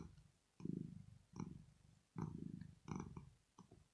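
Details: Female pet cat Rosetta purring while asleep, a sound said to express pleasure or relaxation: low rumbling bursts in a steady breathing rhythm, about five cycles in four seconds, in a quiet room.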